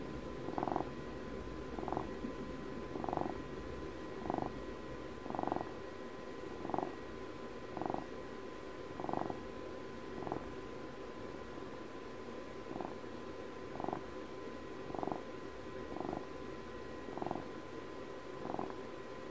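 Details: Indoor cat purr, in honour of Puppy's 12th birthday; quieter, regular rumbling pulses roughly every second, fifteen or so in a row, with a low constant hum behind.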